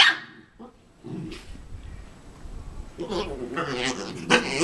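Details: A Havanese dog makes odd, strained growling whines in short bursts that swell louder toward the end, wanting another dog's bone.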